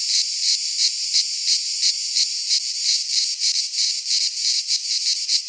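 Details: Cicadas in midsummer, Greek pine woodland: a sharp, hissing rattle pulsing about three times a second, the throbs growing more distinct toward the end, with nothing else heard.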